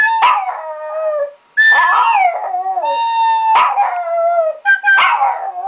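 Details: A male Chihuahua, three years old, singing in long, clear, mournful howls. Each howl begins with a sharp upward yelp, then glides down and trails off in a quavering tone. Four or five such phrases follow one another closely.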